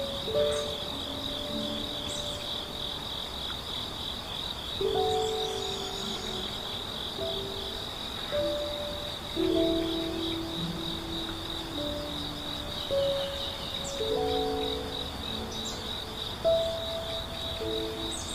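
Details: Morning forest chorus of grass insects at Hundred Years Valley in Yeongwol: an unbroken, piercing high buzz runs the whole time, dotted with faint high chirps, while gentle music plays low notes and chords beneath.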